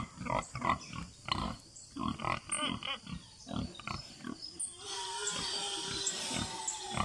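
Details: Free-range farm pigs oinking: a run of rough, low grunts in irregular bursts, thinning toward the end as a steadier background hiss and faint bird notes take over.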